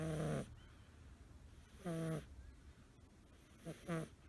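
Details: Five-month-old male American Shorthair kitten, blue tabby, snoring while asleep curled up, which only happens in that position: short nasal snores about every 1.8 seconds, each a brief buzzy harmonic snort with hissing breath, the last doubled.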